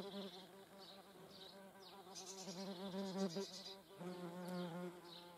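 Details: German wasps hovering at a feeding place give a continuous low buzzing drone, wavering in pitch and briefly dipping near the fourth second, with faint high chirps in the background.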